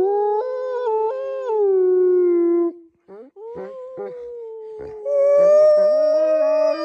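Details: Eurasian wolf howling while looking for his friends: long, smooth, tonal howls that hold a steady pitch then slide gently downward, a brief pause with short broken yelps, then a higher, wavering howl rising at the end.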